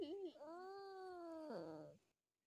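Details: Sky, a pet cat, complaining indoors with a long drawn-out vocal moan: a brief wavering start, then a steady tonal wail held for over a second, dropping lower before it breaks off.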